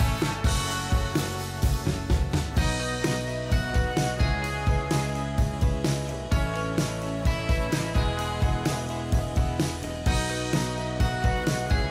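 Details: Country-style music with guitar and drum kit; no animal sounds.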